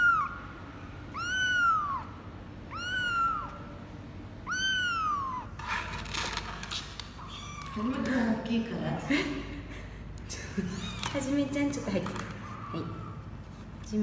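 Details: 24-day-old kitten of Laki, a former stray mother cat in Cambodia, during its first weigh-in on 24 January 2020: four arched meows at steady intervals, then women talking over handling noise with one faint meow.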